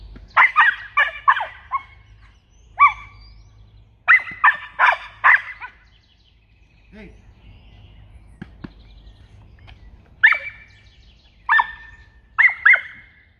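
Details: Australian Cattle Dog puppy barking during protection training. Sharp, high, yappy barks come in clusters of two or three, separated by pauses of a second or more, with a low steady rumble and faint handling noises in between.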